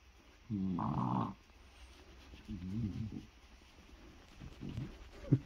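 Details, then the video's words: Male French Bulldog indoors after breakfast, holding his ball while being rubbed and stroked, vocalising for attention: a loud, low, harmonic groaning moan early on, then two softer grumbling bursts and a short snort at the end. "French Bulldog Wanting his attention"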